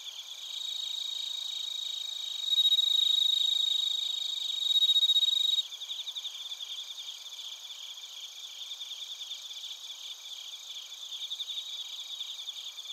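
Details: Bell crickets and other crickets chirping in Narita, Chiba Prefecture, Japan, recorded on a TASCAM Portacapture X8: dense, rapid high pulsed trilling with a clear, pure ringing tone running through the middle that swells louder, then drops away near the end.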